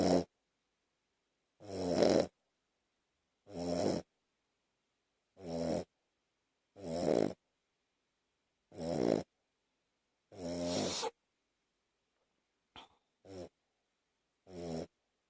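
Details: Two-year-old Shih Tzu snoring while asleep on a person's chest at night; rhythmic raspy, buzzy snores roughly every two seconds, about seven in a row, then a few shorter, softer breaths.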